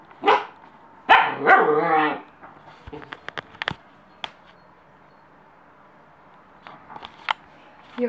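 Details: Young German Shepherd puppy listening to Jingle Bells gives a short yap, then a longer, wavering, harmonic howl-bark lasting about a second, followed by scattered clicks and taps and quiet background.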